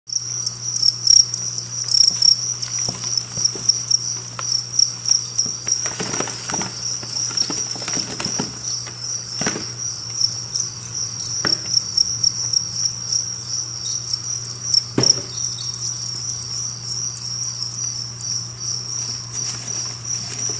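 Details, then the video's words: Two-spotted crickets, a captive colony of about 1000 kept in a cricket apartment enclosure, chirping together as a steady high shimmering trill with fast pulses, over a low electrical hum and scattered rustling clicks. "쌍별귀뚜라미 아파트, 과연 몇마리나 있을까? 귀두라미asmr"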